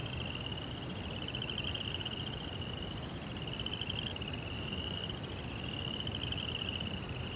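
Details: A continuous shrill cricket trill at night, heard in a Japanese Zen rock garden setting, with brief dips in strength every couple of seconds and a steady low hissing rumble underneath.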